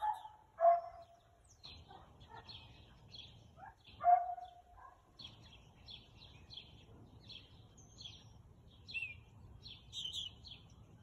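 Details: Husky barking on 4/2/2022 at 2:57 pm: two loud, sharp single barks about three and a half seconds apart, followed by quieter yips, with small birds chirping and twittering steadily in the background.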